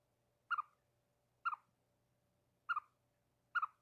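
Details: A pet chipmunk chirps at birds to alert its owner to danger, giving four sharp, mid-pitched double chirps about one per second in alarm over a faint steady hum.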